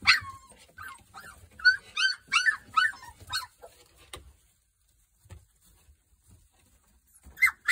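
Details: Three-week-old Boerboel puppies, from a Kodak and Rhianna litter, give a run of short high yips and squeals for about three seconds, then a quiet stretch before one more sharp yelp at the end.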